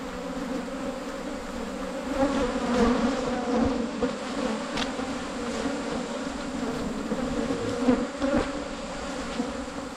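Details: Wild Asian honey bees found on a 2022 honey hunt: a dense, continuous swarm drone in two steady hum bands that swells and fades slightly, with occasional soft clicks or knocks over ten seconds.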